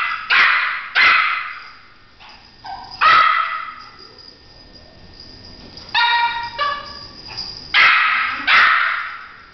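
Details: Bruno, a French Poodle, barks while chasing the light of a flashlight; high, sharp barks come in clusters, roughly seven bursts over ten seconds, some doubled, with quiet pauses between.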